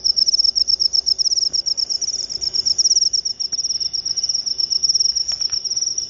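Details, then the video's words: Jangkrik upo cricket giving a loud, piercing trill of fast, evenly spaced pulses that swell and ease slightly in strength, with a few faint clicks underneath. "Jangkrik upo"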